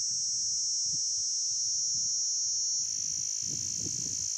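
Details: Summer cicadas droning in one continuous shrill, high buzz that shifts slightly in tone partway through, over faint low knocks and rumbling in the background.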